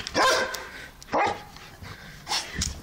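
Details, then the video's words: Excited barking from Lucky, a two-year-old German/Belgian Shepherd cross going wild: a sharp bark, a second shorter one, then softer noisy yaps near the end. "Crazy Minute of my Dog (Dog goes wild) german/belgian shephard mix"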